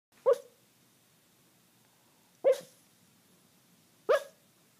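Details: Small dog named Kaiser barking while dreaming in its sleep: three short, muffled woofs spaced about two seconds apart, each a brief soft burst, over a quiet background.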